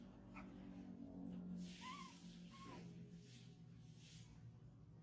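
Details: Baby monkey Chimol crying for milk: two short arched, whining cries with a wavering pitch close together around the middle, over a steady low indoor hum and faint background noise.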